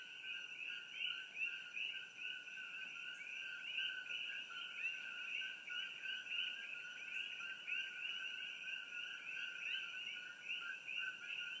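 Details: Treetop Coqui frogs near Hilo, Hawaii, by the Hawai'i Tropical Botanical Garden. A thick, unbroken chorus of repeated two-tone calls, each a lower note followed by a brighter rising chirp, many frogs overlapping.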